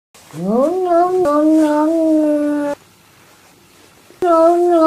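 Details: Scared domestic cat giving a loud, drawn-out harmonic yowl that rises steeply at the start and then holds steady for about two and a half seconds. After a short silence, a second similar yowl begins.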